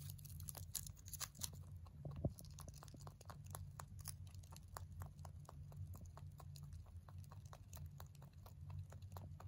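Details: A male mini rabbit, born November 3, 2020, munching hay: rapid, fairly even crunching clicks several per second throughout, one louder snap early on, steady low hum underneath.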